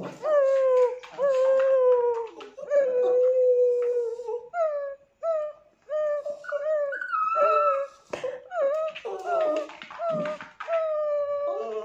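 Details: A Tibetan Terrier vocalizes in sustained, slightly falling howls that give way to choppy, rising-and-falling whimpers and yodel-like notes in quick succession.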